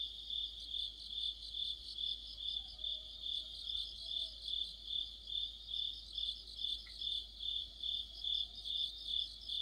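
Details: Crickets and other insects chorusing in deep autumn: a dense, high, steady trill pulsing in regular beats about twice a second. The pulsing layer sits over a continuous ringing tone, with one brief faint chirp midway.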